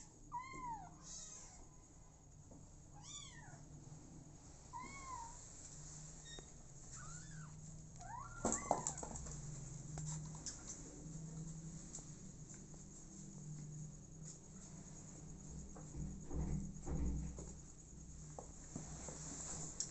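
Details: Four motherless kittens starting a new life with an adopted mother cat; a run of thin, high mews rising then falling in pitch through the first half, then low rumbling and scuffling as the animals move about indoors.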